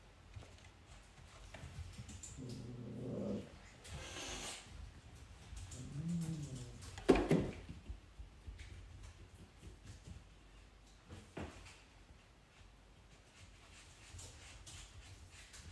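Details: A Savannah cat meeting another cat for the first time gives a few drawn-out, wavering meows that rise and fall, with a sudden clatter between them.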